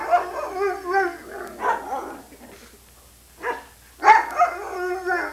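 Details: Female Irish Setter named Sunny, recorded in 1987 on VHS, 'talks' on request with drawn-out wavering howl-like notes, a pause, then a louder bending moan; a person speaks softly between her sounds.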